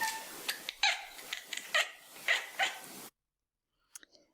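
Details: Domestic cat chirping and chattering at a bird outside the window; a quick run of short clicky chatters and bright chirps, roughly one burst per second for three seconds, then quiet.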